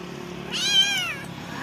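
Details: Cat with kittens: a single brief meow that rises then falls in an arch, heard over a steady low background hum.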